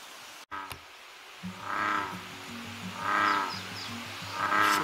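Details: American bullfrog at a pond in Kobokke Nature Park, Kasai, Hyogo, Japan, gives deep, droning, buzzy croaks about every second and a half, each swelling into a rougher burst; a brief handling knock at the start.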